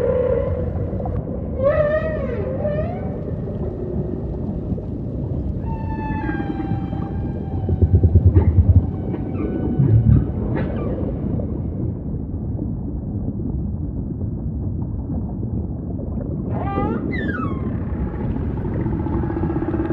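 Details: Humpback whale song: harmonic moans and sweeping upward cries, with a cluster of stacked tonal notes mid-clip and a rising wail near the end, over a deep rumbling underwater background.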